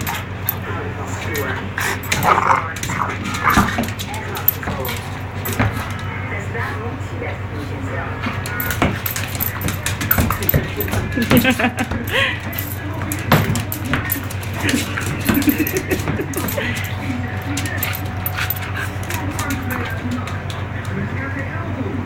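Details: Kevin, a six-month-old French Bulldog, fights with his toy indoors: rough low growls and snorting rumbles run throughout, broken by sharp thumps and scuffles, while a person talks intermittently.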